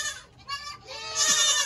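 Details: Baby goats bleating in a barn at the end of the 2022 kidding season; overlapping high, harmonic-rich bleats, a shorter cry early and a loud sustained one in the last half second, with a faint voice between.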